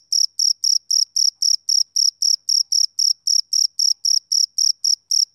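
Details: High, shrill chirps of a male cricket on a summer evening, about twenty crisp pulses repeating rhythmically at close to four per second, over clean silence.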